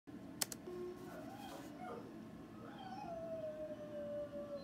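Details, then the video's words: Pet dog coaxed into howling. After a sharp click, soft wavering whines lead into a long, steady howl that slides slowly downward over the last two seconds. "Trying to get my dog to howl"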